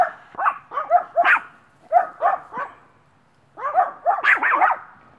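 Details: A one-year-old female Maltese, sociable with other dogs, at Helping Homeless Dogs Rescue in Brooksville, Florida; a fast run of high-pitched, sharp yapping barks, about two per second, pausing briefly before a second lively burst.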